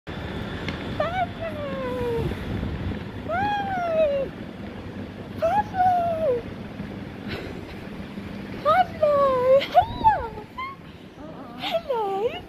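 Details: Pablo, an Alaskan Klee Kai or mini husky, greets his owner at London Luton airport with drawn-out whines. Each whine rises briefly and then slides down, in bursts every few seconds, over low hum and crowd rumble.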